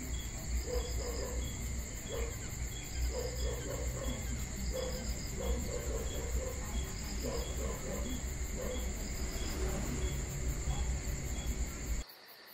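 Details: Summer-night crickets in Georgia keep up a continuous high pulsing trill, with low rumble and scattered soft mid-pitched ticks underneath, cutting off abruptly just before the end.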